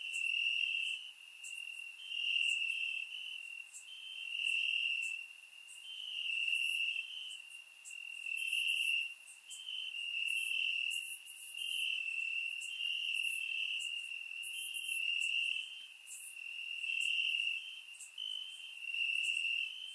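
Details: Crickets chirping in grass on a warm summer night in Bulgaria, captured with a surround microphone: a dense, high, continuous trill whose loudness swells and fades about every two seconds, with faint sharper ticks above.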